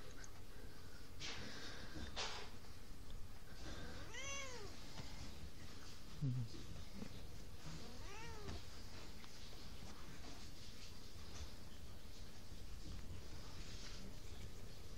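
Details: A domestic cat meows twice, each a drawn-out arched call rising then falling, about four seconds apart, with a short low thump between them and constant low background hum.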